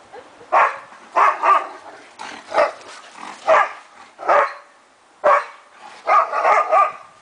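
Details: Afghan Hounds at play in a backyard, three dogs romping roughly; sharp, mid-pitched barks come singly and in quick pairs, spaced unevenly across the stretch, with no other clear sounds.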